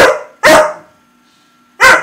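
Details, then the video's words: Staffordshire bull terrier x Rottweiler cross, a male dog chatting with his owner: three loud, short, harsh barks, two close together then a pause of over a second before the third. "Staffordshire bullterrier x Rottweiler having a little chat"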